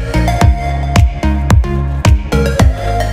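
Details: Electronic dance music with a heavy bass beat, and no animal sounds.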